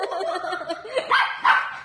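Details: Playful Dachshund indoors, giving two short, sharp, high barks close together near the end, after a run of softer vocal sounds, with a human voice nearby.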